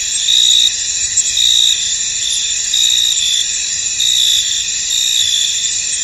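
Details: Crickets in a misty, foggy field: a dense, continuous high-pitched trill with brighter chirp pulses rising out of it roughly once a second, layered over a steady insect chorus with no other sounds.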